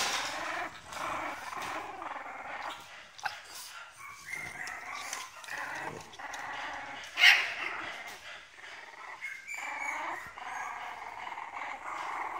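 French Bulldog puppies whimper and yelp in high, thin, overlapping cries.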